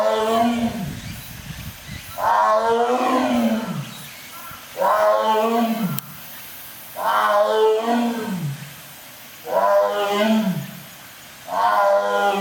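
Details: Zoo lion in Japan roaring: a series of deep, loud, moaning 'wa-oo' calls, each about a second long with a falling tail, repeated roughly every two and a half seconds with short gaps between.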